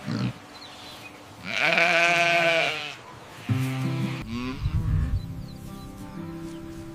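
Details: A sheep gives a loud, quavering bleat over a faint musical background.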